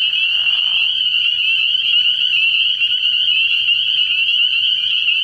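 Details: Many spring peepers calling at night early in the year at a frog pond: a dense, unbroken wall of high, shrill peeps blending into a steady ringing chorus, with a brief lower rasping call in the first second.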